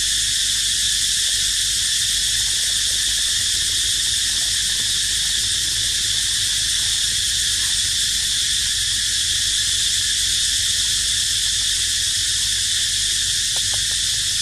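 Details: Continuous cicada crying, a loud sizzling buzz held steady throughout, with faint scattered ticks and a couple of sharp clicks near the end, recorded beside resting baby monkey Dito.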